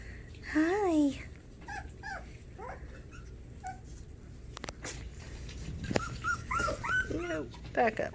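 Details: Havanese puppies whimpering indoors in a small room, filmed 20 January 2020; a loud rising-falling whine near the start, then scattered soft squeaks and yips, with a woman talking to the puppies by name.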